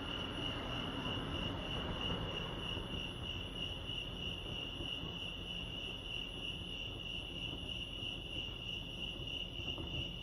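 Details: Steady high trilling of crickets at Lake Arrowhead, California, pulsing evenly throughout, with a low background rumble that may come from a distant vehicle.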